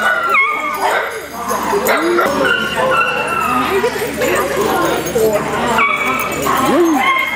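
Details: Many Italian Greyhounds playing together indoors at a Sunday morning rescue playdate at Mantayo Kennels, Denver, Colorado, January 26, 2014. Several high, rising-and-falling yelps and whines break through steady human chatter from a crowd.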